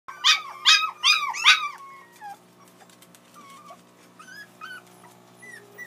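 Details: Puppies crying because they want to play: four loud, high, arching whimpers in quick succession over the first two seconds, then fainter scattered whines and soft clicks as the crying trails off.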